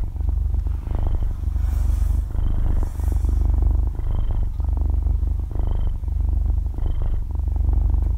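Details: Young kitten purring in its sleep at very close range: a low, buzzing rumble swelling and easing with each breath, around forty-three cycles per minute, a faint hiss of background noise in places.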